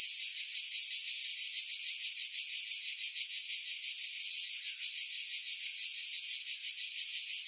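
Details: Greek cicadas on Skiros Island, July 2018, calling from pine trees 50 m above Pefkos Bay: a loud, high, sizzling drone with a quick rhythmic throb, roughly three beats per second, and nothing else audible.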